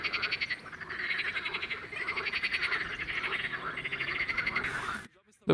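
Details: Male water frogs calling in spring from a pond to attract females, a full chorus of overlapping rattling croaks in rapid pulses, ending abruptly with a short gap and a brief noise.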